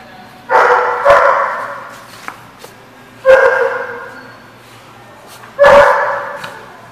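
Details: Barking dog at a lot recorded on 26 September 2014, giving three long, loud, tonal barks about two and a half seconds apart, each fading gradually, with faint clicks between them.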